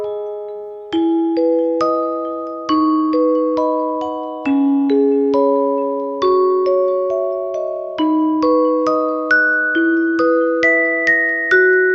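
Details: A gentle glockenspiel-like melody plays like a lullaby, with clear bell tones struck one after another. No cat or other animal is heard.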